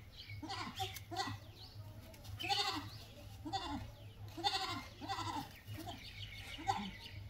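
Goat bleats come one after another, each a wavering, nasal cry that rises and falls in under a second. A constant low droning hum runs underneath throughout.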